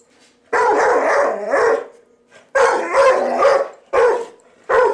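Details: Pet dog reacting to a vacuum cleaner indoors, giving three or four loud, harsh barking bursts, some drawn out into a whining howl, with a steady background hum and a man's voice calling to it.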